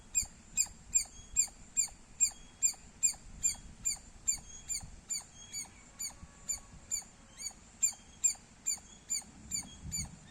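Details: Loud squirrel chirping, a long run of crisp, piercing chirps evenly spaced at roughly two and a half per second, each with a quick bright upper edge, over soft background hiss.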